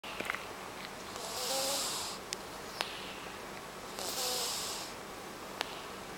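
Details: Rescued cat with a nose that has been bad since rescue, sleeping soundly and snoring: two long hissing, breathy snores about two and a half seconds apart, with a few faint clicks between.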